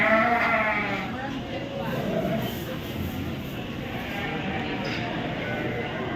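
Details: Sheep at the Royal Winter Fair 2023 in Toronto, Ontario, Canada, giving a wavering, harmonic bleat at the start that fades into a steady hum of crowd chatter and hall noise.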